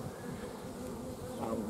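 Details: Bees of honey-producing bio-hive colonies in Romania, 15 July 2016, honey flow season. Thick continuous hum with a louder bee passing close near the end, its whine rising then dipping in pitch.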